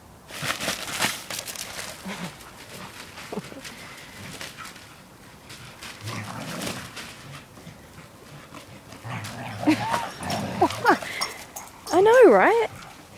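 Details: Mollie, a cheeky 4-year-old English Springer Spaniel, guards a newspaper she won't give up; soft grumbles give way to wavering, pitch-bending whines and whimpers that grow loud near the end, with a person's voice coaxing her.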